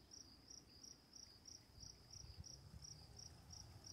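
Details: Crickets calling at night with running water nearby: soft high-pitched chirps repeated steadily about three times per second over a low rumbling background of flowing water.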